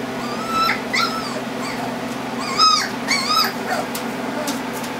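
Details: Four-week-old black Standard Poodle puppies, a litter of eight, playing together; several thin, high, arching whines and yips come in small clusters over a steady background hum.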